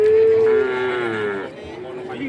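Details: Feeder cattle at a livestock market in Kajen, Pekalongan, Central Java, Indonesia; one steady, mid-pitched moo holds for about a second and a half and then slowly sinks, followed by quieter bellowing and background murmur.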